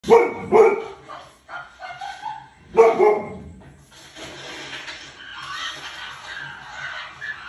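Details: A golden retriever gives loud, deep barks in quick bursts at monkeys on the television, protecting his sister, then falls quiet over the noisy TV soundtrack.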